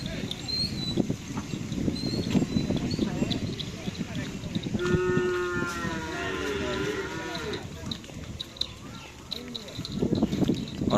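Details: Madura cattle at karapan sapi bull race training on the Asemanis field, Madura. A drawn-out, fairly steady moo with rich harmonics rises mid-clip over a constant din of crowd chatter, voices and handling noise.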